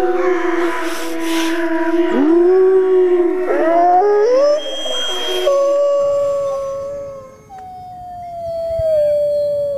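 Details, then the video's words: Wolf howls, long and tonal with rich overtones. One voice swoops upward and then falls, and others overlap. An abrupt cut leads to a single steady howl that slowly sinks in pitch. "Wolf Howling"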